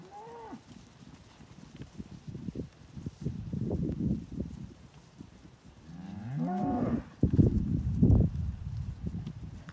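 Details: Belgian Blue x Beef Shorthorn cattle, three-year-old cows with five to seven-month-old calves, in Australia's Eastern States; a short rising moo near the start, then a louder wavering low moo midway, with shuffling and knocking noises throughout.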